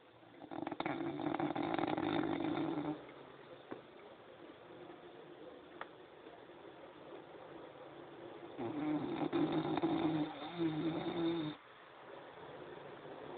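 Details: French Bulldog snoring heartily, two long rough raspy snores around one and nine seconds in, each lasting about three seconds, separated by quiet low hiss.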